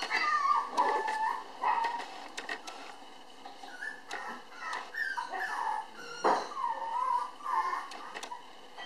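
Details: A red female Toy Poodle puppy, born May 24 and filmed June 30 at 700 g, whimpers in thin, wavering whines that rise and fall in quick succession.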